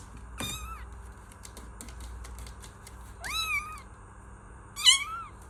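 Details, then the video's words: Kitten meows: three clear, high, bending calls, the first short and sharp, the next two longer with a rising then falling shape, separated by pauses of two to three seconds over a low background hum. "Kittens Meow || Kucing Mengeong || Meow Sound Effect || Kitten Sound"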